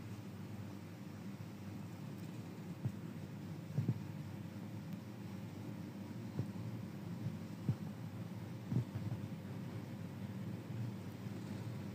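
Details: Steady low hum and broadband noise with a few soft knocks scattered through, and no insect or other animal sounds.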